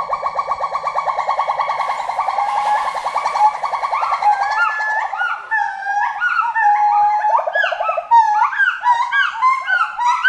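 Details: Forest monkey voice opening with a fast, quavering trill held for several seconds, then breaking into rising and falling whooping hoots in quick succession.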